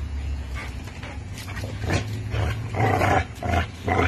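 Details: American Bully and Pitbull playing tug with a Tugmutt toy: low, rough rumbling growl held steadily underneath, broken by louder snarling bursts and scuffling noises as the dogs pull.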